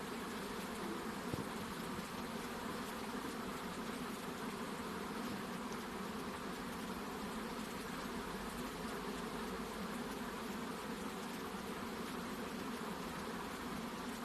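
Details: Colony of honey bees around a second hive box, with the queen reported leaving it; an even, grainy drone holds steady for the whole stretch, with a faint knock early on.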